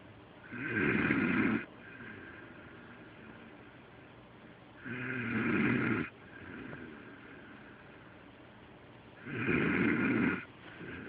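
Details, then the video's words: Delilah, a pet dog, snoring loudly while asleep, as loud as a human: three rough, noisy snores about four seconds apart, each lasting over a second, with quiet breathing between. "My Delilah Snoring"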